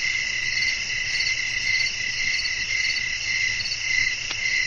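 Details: Crickets calling at night in a natural setting with wind, offered as relaxing sleep ambience; a dense, steady chorus of high, shimmering trills pulses without pause, overlapping layers blending into one continuous ringing hum, plus a single faint click near the end.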